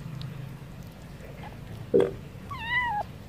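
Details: Stray cat meowing while wanting wet food: one drawn-out meow that rises then falls, with clear harmonics, coming just after a sharp knock, over a low steady rumble.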